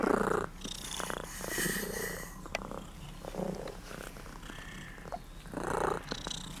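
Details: Affectionate cat called Tutti Frutti on a trip to Sardinia, craving attention, captured on a Sony FDR-AX33 camcorder; throaty purring in separate pulses spaced a second or two apart, amid rustling and handling sounds.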